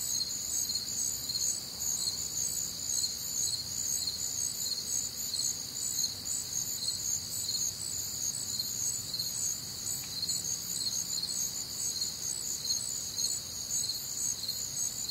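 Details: Chorus of crickets recorded on a warm, humid summer night in the American Midwest: continuous shrill trilling in layered high bands, pulses overlapping without pause, over a soft low background hum.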